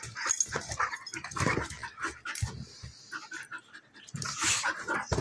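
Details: Play fight between two female dogs, a German Shepherd nearly a year old and a Golden Retriever mix; rough growling, snarls and short barks over thumping scuffles, dense and continuous.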